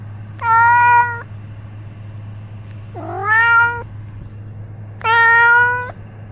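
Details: Three long, steady meows from Ros, a house cat filmed with a camera worn on his own body. The middle call starts low and rises, and each is spaced about two seconds apart over a constant low-pitched hum.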